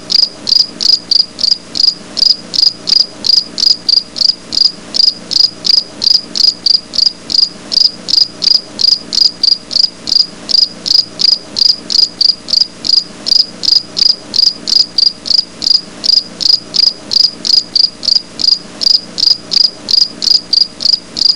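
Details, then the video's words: Grasshopper calling outdoors in a natural setting; a long, unbroken run of high, evenly spaced chirps, roughly two to three per second, continuing without pause over quiet background noise. "ঘাসফড়িং এর আওয়াজ"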